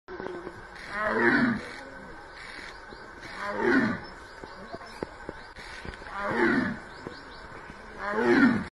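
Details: Tiger gives four rough, breathy moaning calls, each about half a second long and spaced roughly every two to three seconds, over quiet background hum with faint clicks.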